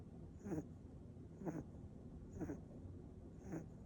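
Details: Mixed-breed pet dog snoring quietly, four soft raspy breaths about one second apart, each a short noisy burst, with a steady low hum behind.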